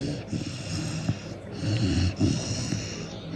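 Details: A 4-month-old Cane Corso puppy asleep, snoring in short rough throaty breaths with a low gurgling rattle.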